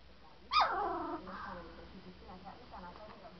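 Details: Three-week-old St. Bernard puppies, recorded on 7 March 2012: one sudden high yelp sliding steeply down in pitch, followed by a brief wavering whine and faint, softer whimpers fading out.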